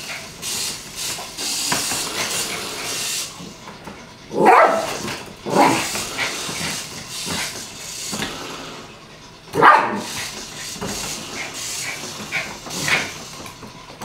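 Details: Yorkshire Terrier playing with a toy car, giving short, bright yips several seconds apart over a constant airy hiss and soft rustling; finding: Yorkshire Terrier.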